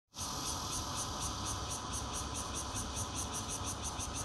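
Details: Bear cicadas, red-veined and intermittent-calling kinds noted, sing from a fourth-floor home in Zhongli, Taiwan, on 16 June 2013, captured on a Nokia Lumia 820: a steady high buzz with shrill pulses beating about four times a second, over low hum.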